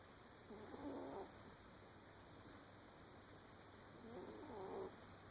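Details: A sleeping puppy snores softly. Two faint, breathy snores about three and a half seconds apart carry thin squeaky whistles, under a steady background hiss.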